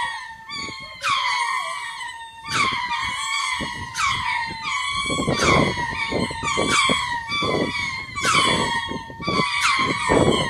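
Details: Lemurs in a chorus of territory calls, made twice a day to claim land and scare off unwanted birds or predators; a sustained wailing tone broken by loud shrieking bursts about every 1.3 seconds, with heavy rhythmic low pulses.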